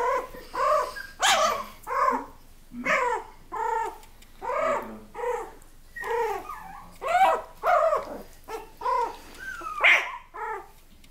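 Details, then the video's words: Miniature Australian Labradoodles produce a steady series of short whimpering yelps and small barks, about one every second, with a few higher squeaks near the end. "Cheyenne's Miniature Australian Labradoodles"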